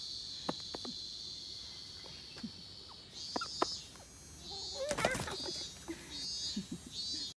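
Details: In summer, minmin cicadas drone in a high, steady buzz that breaks into pulsing waves halfway through, while busy call ducks give short, harsh quacks and scattered clicks in the foreground.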